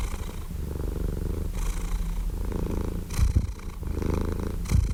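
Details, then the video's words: Domestic cat purring steadily with a deep low rumble, soft breathy rushes breaking through roughly every one and a half seconds, quieter at first and swelling toward the end. "Purring Cat White Noise"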